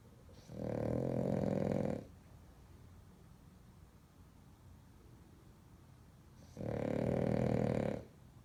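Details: Heavy French Bulldog snores, two drawn-out grating rumbles each lasting over a second, separated by a long quiet pause of about five seconds.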